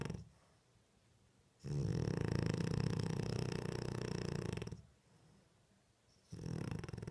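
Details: Sleeping French Bulldog with open eyes snores indoors, one sustained low rattling snore lasting about three seconds, made of fast fluttering pulses, followed by a quiet gap and the start of another snore.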